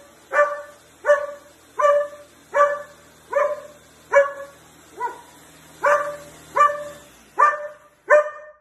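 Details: A German Shepherd barking at a juicer gives a steady run of loud, mid-pitched barks, about one every three-quarters of a second.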